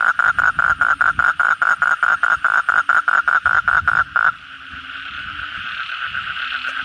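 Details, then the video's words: After heavy night rain, a kodok bangkong frog gives a rhythmic run of pulsed croaks for four seconds, then stops, leaving a softer, continuous chorus of many frogs. "suara kodok bangkong pada gacor setelah hujan lebat malam hari"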